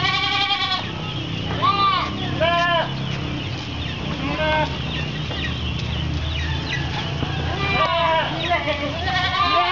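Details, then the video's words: Goats waiting for their food at an Islamic boarding school in Kapuas, Central Kalimantan, Indonesia, February 2013; scattered short wavering bleats from several animals over background chatter, with a possible rooster. "Paduan Suara Kambing Menunggu Jatah Makan"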